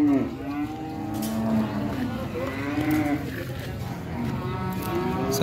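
Cows low in long, drawn-out moos, deep and resonant with rich harmonics.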